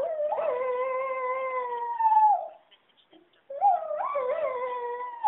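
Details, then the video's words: Domestic dog howling in response to telemarketing telephone calls: two long, mournful tonal howls, each sliding up then holding a steady wavering pitch for about two seconds before fading, separated by a brief silence; no other clear sounds. "Singing Dog"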